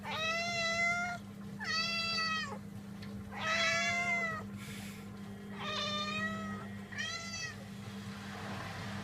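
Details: Two cats meowing indoors: five clear, drawn-out meows about a second each, rich and tonal with a slight rise then fall, spaced by short pauses, over a steady low electrical hum.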